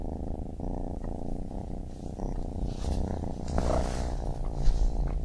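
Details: Baby kitten purring, a deep continuous low rumble with steady vibrating texture and faint soft rustles above it, no other voices.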